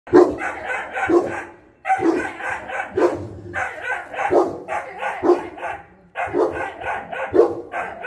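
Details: Pair of Boerboels (South African Mastiffs), male and female, kept in Egypt; deep, heavy barks in quick bursts of three to four, with short pauses between bursts.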